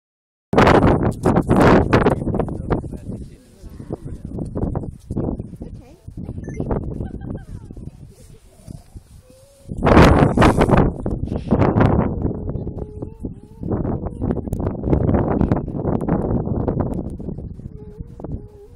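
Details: Grey seals in a breeding colony at Donna Nook on the east coast of the UK: loud, rough bursts of sound give way to drawn-out, wavering moans that hold a steady mid pitch and overlap one another.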